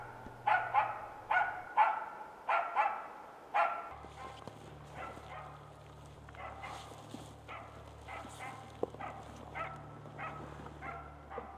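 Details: Norrbotten Spitz barking while out hunting: a run of loud, sharp barks about once a second for four seconds, then a quieter, more distant series of repeated barks, over a steady low hum.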